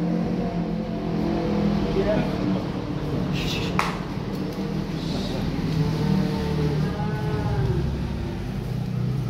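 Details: Young calves being unloaded from a truck in Malang give low, drawn-out mooing calls, several overlapping in harmonic stacks, over a steady idling vehicle engine with a brief sharp clatter near the middle.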